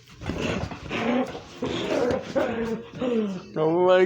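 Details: Pet dog excited over a big toy duck: repeated grumbling, moaning vocal bursts with whiny overtones, ending in a clear rising whine.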